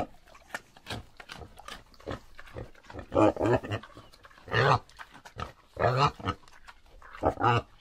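A pig grunts in a series of rough, low, nasal bursts at irregular intervals.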